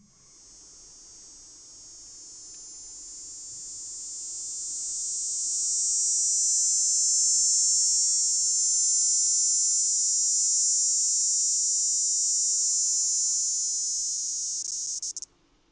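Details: A male northern dog-day cicada (Neotibicen canicularis), a northern species found in Illinois mainly in the upper third of the state, gives a steady, very high-pitched buzzing drone that swells and holds.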